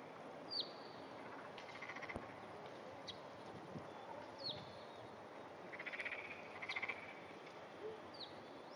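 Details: Two black-spotted pond frogs clasped together, the male smaller, filmed early morning on 14 June 2009; short pulsed croaking bursts come late in the clip, amid scattered high whistled bird notes and faint background hiss.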